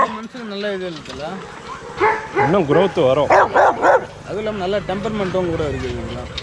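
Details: Young Rottweilers in a kennel exercise yard: rising and falling whines at first, then a quick burst of loud repeated barks, fading back to whimpering, with human speech in the background.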